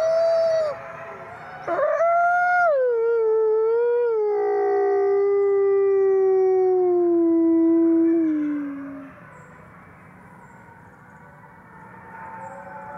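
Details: Captive gray wolves howling together at a conservation center in South Salem, New York: a long howl that leaps up, then slowly slides down and fades, while other voices overlap and a softer chorus continues afterward.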